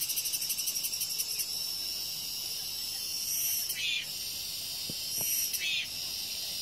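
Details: Cicadas calling, said to cry out loudly once the rain stops: a dense, continuous high-pitched buzz, pulsing rapidly in the first second and then holding steady, with two brief swelling bursts in the middle.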